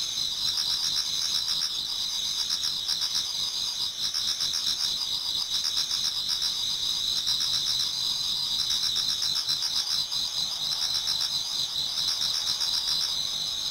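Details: Many autumn insects singing toward dawn in a Japanese garden: a dense, steady high chorus of shrill trills and pulsing chirps layered together, continuous throughout with no other clear sounds.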